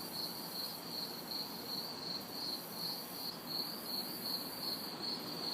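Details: Crickets and cicadas calling at night in a city backyard during hot, humid summer weather; evenly spaced bright chirps repeat about every half second above a faint wash of distant traffic noise.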